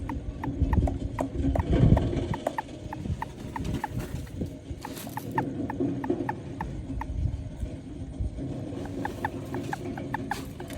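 A toad gives short, sharp clicking notes in an uneven run, over a low background rumble.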